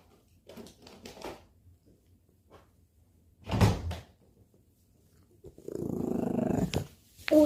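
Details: Chorong, an eleven-year-old, 7.8 kg Maltese, indoors while being coaxed into having her teeth brushed, gives a low, throaty, sustained grumble lasting about a second, between bursts of a woman's speech in a small room.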